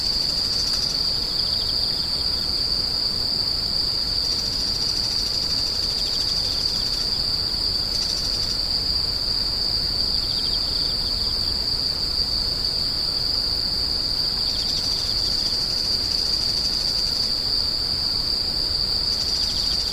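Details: A steady high insect whine continues throughout, overlaid by intermittent rapid buzzy pulsing in bouts of several seconds, with quieter lower trills between them.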